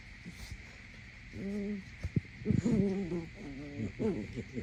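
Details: Goldendoodle puppy named Nora playing in the morning, a daily habit; short wavering tonal whines or growls in several bursts of about half a second, some slightly rising, over a steady background hiss.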